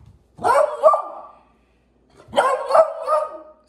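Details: Six-month-old female Lemon Beagle asked to speak for a snack: two loud, drawn-out bays about two seconds apart, each rough and harmonic with a wavering, slightly falling tone.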